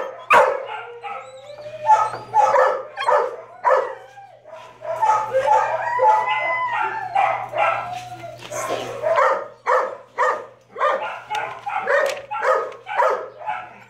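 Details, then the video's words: Shelter dog in Texarkana, Arkansas, a brindle Mastiff female, barking in a long series of strong, evenly spaced woofs, with a drawn-out howling stretch in the middle and a steady background hum. "Brindle Mastiff Female"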